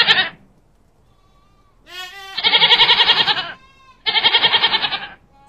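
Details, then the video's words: Goats calling close by: a rising, wavering bleat leading into long, coarse, rapidly pulsing bleats, with a second harsh trembling bleat after a short pause. "معزا عوارض"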